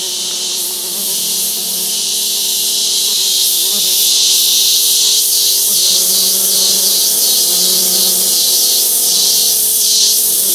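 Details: Wild male orchid bees buzzing on Barro Colorado Island while collecting scents from a paper towel on a forest limb; a dense, steady high buzz fills the clip with pulsing swells about once a second and a low hum underneath.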